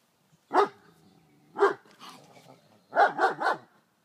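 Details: German Shepherd dog barking in daylight at a raccoon that entered the yard: two loud, separate sharp barks about a second apart, then a quick burst of three barks, with faint rough sounds between.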